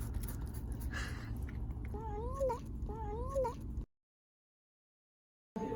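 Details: At the animal hospital over a cough, Siamese cat Chacha utters two wavering meows about a second apart, each rising then dipping and ending in an upward flick, against a low background rumble that then cuts to silence.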